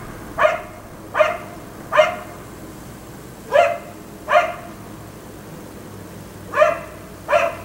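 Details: Black Labrador retriever left outside at night until 1am, barking in single loud, even-pitched barks with a clear ringing tone, seven spread irregularly across the stretch, with short gaps and one longer pause near the middle.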